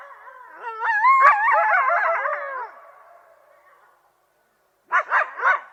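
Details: Coyotes break into a wavering chorus of overlapping howls and yips, then give three sharp barks.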